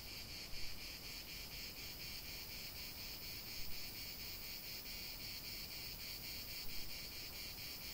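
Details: Chorus of cicadas in a natural setting, a continuous shrill hiss with gentle rhythmic throbbing about every few seconds and occasional brief peaks in loudness.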